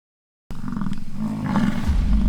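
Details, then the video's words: American bison fighting during rutting season on a ranch in Fort St. John, British Columbia, Canada; after half a second of silence comes a deep, continuous rumbling roar with a steady low throb that swells slightly near the end. "BISON FIGHT IT OUT IN RUTTING SEASON"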